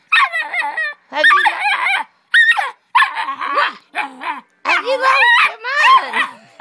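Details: Pit bull puppy arguing with its owner's mother at home, letting out a run of high, bending whines and yowling yips in quick bursts, with a woman's voice talking back between them.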